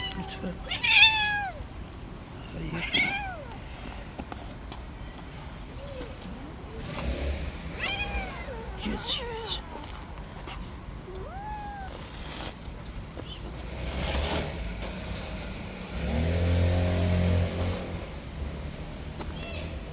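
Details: Repeated meows from a street-dwelling cat that got too rough in play: several separate falling calls spaced a few seconds apart, some strained and high, over a constant low outdoor rumble with occasional thumps.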